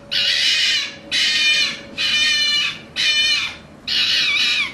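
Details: Red fox uttering five harsh, raspy, noisy screams of about a second each, repeated roughly once a second with brief pauses between.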